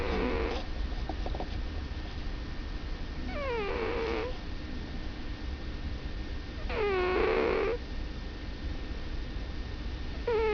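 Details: Domestic cat asleep indoors, snoring with a constant low rasp, with a nasal whining squeak that falls in pitch on each breath, roughly every three and a half seconds.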